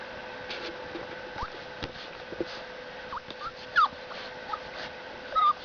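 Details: Seven-week-old Boxer puppy Storm whimpering indoors: soft scattered sniffs and clicks, then two thin high whines near the end, one sliding downward and a final short wavering cry, with a constant electrical hum beneath.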